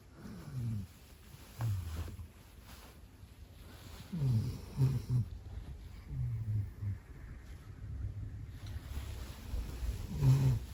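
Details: A large Labrador Retriever dog snoring loudly, deep rasping snores rising and falling in uneven bursts every one to two seconds, low and guttural.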